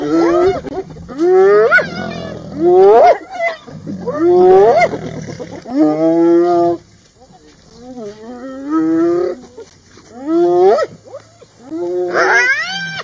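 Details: Several wild hyenas of a clan confronting a lioness in the Masai Mara give repeated loud, rising, wailing calls in bursts every second or two, with short pauses between.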